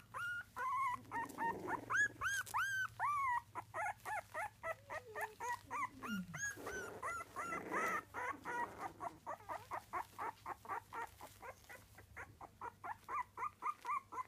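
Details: Tiny Miniature Dachshund puppies at three weeks old whimper and squeal continuously: loud arching whines at first, then a long rapid train of short yips and peeps, about four per second, over a constant low hum.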